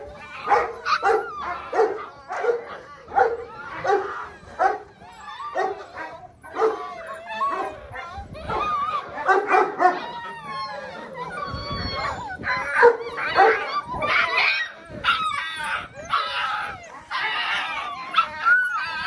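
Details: A litter of six-week-old Belgian Malinois puppies, bred from Lorockmor Mensa x Pixel, yips and barks almost nonstop, many overlapping shrill yaps and wavering whines forming a busy, excited chorus.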